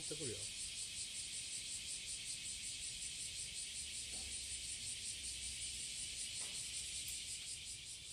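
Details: Morning of July 30, 2017, Passage de la Duee: a cicada sings to attract a mate, a constant shrill buzzing wash with slight rhythmic pulsing, while a brief voice is heard at the start and a few faint knocks.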